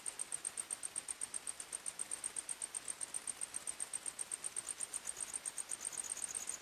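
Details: Night-time forest crickets sing a thin, high-pitched chirp, pulsing about three times a second in an even rhythm, with a second, slightly lower trill joining near the end against a gentle background hiss.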